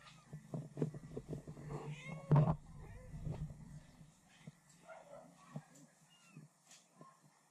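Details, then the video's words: Kitten and mother cat talking: a few short arched meows, one louder cry near the middle, then softer scattered mews over a steady low hum and some thumps. "Kitten and Mother Cat Talking"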